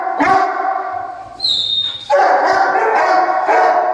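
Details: Dogo Argentino voicing a rich harmonic bark, then a short pause with a thin high whistle, followed by a sustained run of loud, tonal, yelping barks.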